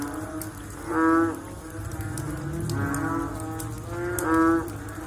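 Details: After rain, frogs give three deep, drawn-out, lowing calls about one and a half seconds apart, each rich in harmonics, against a soft low background rumble.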